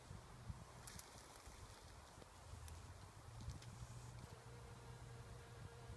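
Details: Bombus ignitus bumblebee feeding on nectar in wild rose flowers: a steady low droning buzz that holds through the second half, over rustling wind and a few sharp clicks.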